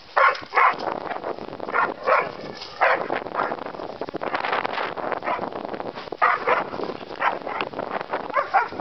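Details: A terrier mix and a bulldog learning to play together; rough, breathy growls and snorting grunts come in short bursts every second or so, with scuffling and panting between them.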